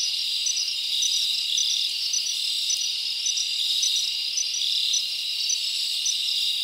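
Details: Crickets chirping at night in a summer forest: a dense, continuous high-pitched chorus with steady shimmering trills and small regular pulses repeating through the clip, no other animals or voices standing out.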